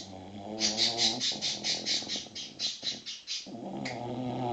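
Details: Sleeping six-month-old English bulldog puppy snores with a rough, harmonic rumble at the start and end, while bright bird chirps repeat quickly in between.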